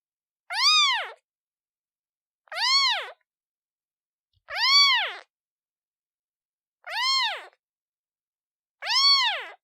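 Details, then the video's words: Newborn kitten calling its mother: five loud, arched, nasal meows, each rising then falling, spaced about two seconds apart, with silence between and no other sounds. "Kitten meows sound effect Black screen Newborn cat calling mom"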